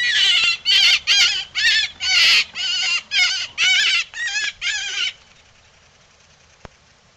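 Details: Coyote giving about ten harsh, rapid yips and bark-like squeals in a steady series, then silence.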